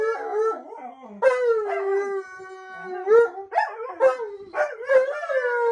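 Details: Alaskan Malamute howling in long drawn-out tones, each howl starting with a sharp rise then holding steady or sliding gently down, rich in overtones, several howls overlapping with brief yelping breaks between them.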